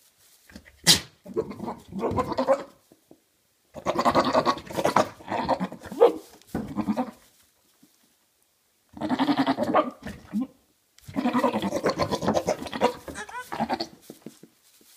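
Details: Two Maine Coon cats, a father and son, give loud, wavering, goat-like bleating meows in bursts of a second or more.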